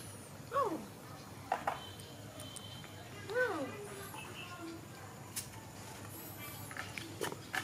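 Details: Waiting for milk, young monkey Donal cries toward its mother with two clear arched squeals, each sliding up then down, about three seconds apart. Clicks, soft knocks and faint high whistles sound around them.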